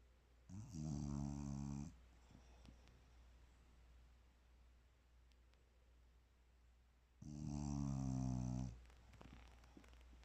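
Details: Sleeping bulldog snoring peacefully indoors: two long, loud rumbling snores with a harmonic buzz, about six seconds apart, separated by quiet breathing in a small room.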